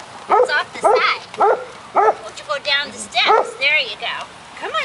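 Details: Golden retriever puppies, six weeks old, at play outdoors with agility equipment in May 2013. Sharp puppy barks about twice a second, some rising into squeaky yelps, with human chatter underneath.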